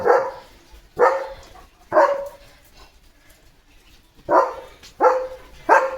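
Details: Leo the German Shepherd barking through his morning romp: six forceful, clipped barks, three in quick succession, a pause, then three more, each bark about a second after the last.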